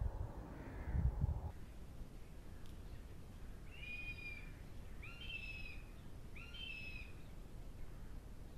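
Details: In late autumn, a roe deer doe herding her young over a stock fence gives three short, harmonic, nasal calls, spaced about a second apart, to gather her fawns.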